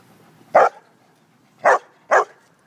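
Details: Dog at a dog park on a sunny Saturday, barking three times: short, loud, broad barks at about 0.6, 1.7 and 2.2 seconds, the last two close together, over a quiet background.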